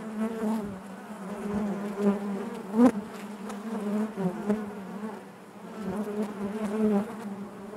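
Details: Steady collective drone of honey bees within the hive, a low humming bed with overtones, one sharp close buzz near the middle and gentle swells throughout.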